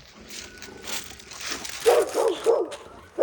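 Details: Rural neighbourhood dog barking at the house next door while Heukgomi, a Jindo and black Labrador mix, watches; after soft background noise, four quick barks come in a row.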